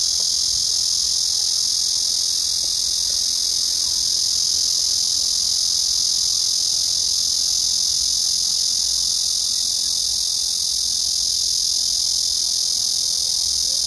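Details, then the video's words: Black cicada chorus recorded on 31 August 2024, a dense, piercing electric buzz that stays level and continuous for the whole stretch, with only faint background rumble beneath. "말매미 울음소리"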